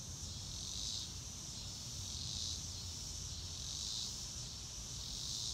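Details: Cricket chorus in a real-time outdoor recording without music, a dense high buzz rising and fading in slow, blurred waves roughly every one and a half seconds above faint low-frequency rumble.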